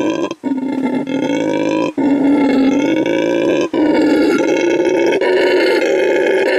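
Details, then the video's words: Howling at full volume to mark his territory, a male red howler monkey rescued from trafficking at a refuge in Bolivia; long rasping roars with strong harmonics, separated by short breath gaps every one to two seconds. "Red Howler Monkey Howls to Mark His Territory"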